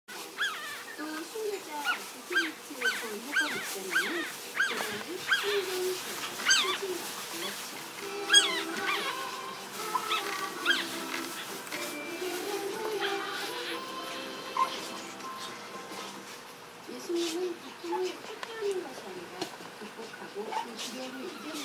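Yorkshire terrier puppies give high, squeaky whimpers and short yips in quick succession, with soft music behind.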